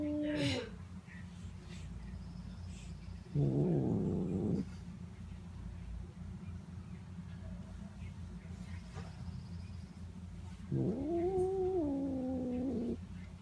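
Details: Pet cat Notail making sounds as he is stroked: a falling meow at the start, a short rolling chirrup-trill midway, then a rising, sustained meow near the end, with quiet murmuring gaps between.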